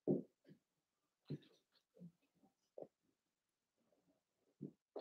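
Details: Three Cavalier King Charles Spaniel puppies, Ruby and Blenheim coats, born 9 June 2022, filmed indoors overnight on a puppy cam; soft, low snuffling grunts come in short separate bursts, a few seconds apart, in a quiet room.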